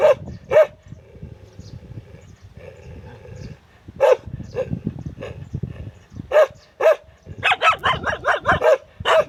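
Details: Dogs barking: scattered single barks over a low, noisy background, then a quick burst of rapid, overlapping barks near the end.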